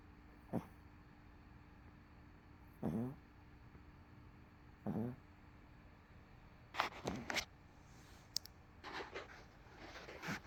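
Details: MoMo, a dog crashed on a couch after a rough day with CoCo close by; three low snores every couple of seconds, followed by rustling and shuffling movement sounds.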